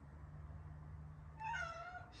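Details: Domestic cat meowing to attract other cats; after a steady low hum, one short, clear, nasal meow that starts high and falls away.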